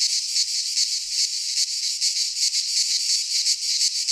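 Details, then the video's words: Cicadas singing in midsummer in a pine forest in Greece: a dense, hissing, high buzz that swells and fades in quick pulses, nearly three a second, with no other sounds. "Cicadas singing in midsummer - Nature sounds from the Greek fauna - Sounds of cicadas"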